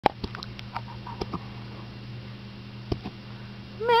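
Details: Mac, a 12-week-old Cardigan Welsh Corgi puppy hiding under a futon, hiccuping indoors: sharp little clicks repeat at irregular intervals in a quiet room, ending with a brief rising squeak.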